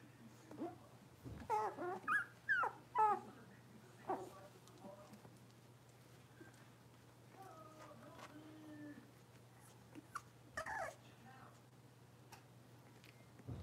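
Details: Young blenheim Cavalier King Charles Spaniels at play in a home puppy pen, one of five littermates born around New Year's Day: a quick burst of sharp, rising yelps, then long quiet stretches of faint whining and a last short yip.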